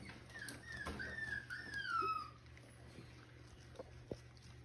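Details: Six-week-old Miniature Schnauzer puppy, bred in Mission, British Columbia, gives a faint, thin high whine that slides slowly downward over about two seconds, over a low steady hum with small knocks afterward.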